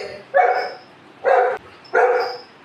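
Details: At feeding time in a home, golden retriever Anna's family of puppies wait for fruit; three loud, even barks fall in a steady rhythm roughly every eight-tenths of a second, each rough and full-toned, with a quiet room between them.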